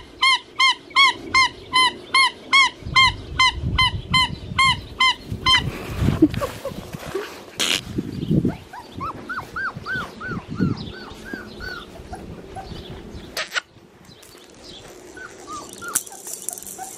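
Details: Young male blue merle Australian Shepherd from a licensed Oklahoma breeding farm gives a quick series of evenly repeated, high-pitched squeaky whimpers, then softer scattered whines among rustling and knocking sounds.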